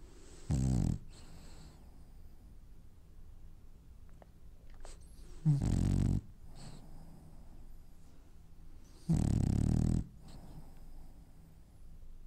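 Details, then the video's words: Dreaming French bulldog snoring indoors: three loud, low rattling snores spaced several seconds apart, each a short buzzy rumble trailed by a hissing breath, with faint small clicks between them. "Snoring French bulldog has dreams"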